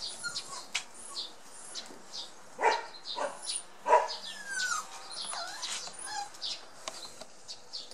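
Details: Border Collie puppies, 57 days old, offspring of Sweet and Indi, giving short high whines and a few yelping barks at irregular intervals, with bird chirps in the background.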